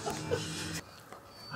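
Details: A very talkative Siberian Husky, talking to meerkats in the morning, gives a brief, tonal, whine-like vocalization with a warbling voice before falling quiet.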